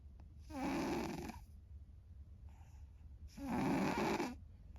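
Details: Sleeping cat An snores loudly, a habit of hers since long ago; two harsh, noisy snore breaths roughly two and a half seconds apart, with a softer breath in the gap.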